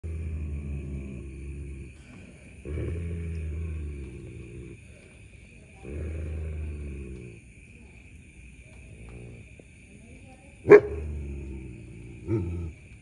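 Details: German Shepherd dogs fighting over a buffalo horn found on an evening walk, one defending it while the other waits to snatch it; low rumbling growls in bursts with quiet gaps, a sharp click near the end, steady faint high tone throughout.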